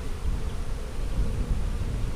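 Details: Short burst of steady low humming from honey bees in a split colony made March 4, checked during a hive inspection on April 15, 2017 while drone cells are pointed out.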